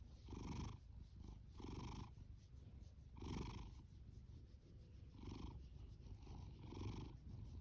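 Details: Ginger tabby house cat, a male born October 2019 and adopted from a rescue shelter, snoring loudly while purring: rhythmic raspy breaths roughly every one to two seconds over a continuous deep purring rumble.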